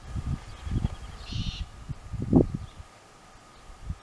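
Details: Dromedaries Jamahl and Laila calmly chewing the cud. Deep, dull crunching strokes come about twice a second for two and a half seconds, then fall quiet. A short, faint birdlike chirp sounds near the start, over a low constant hum.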